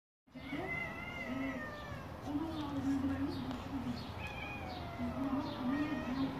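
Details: A cat talking with a neighbour gives drawn-out, wavering meows, the tones sliding up and down in a chatty back-and-forth over several seconds above a steady low hum.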